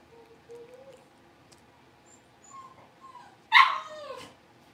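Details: Blenheim Cavalier King Charles Spaniel puppy, one of a New Year litter of five, in the big pen: soft thin whimpers rising gently, then a single loud sharp yelp that trails off into a falling whine.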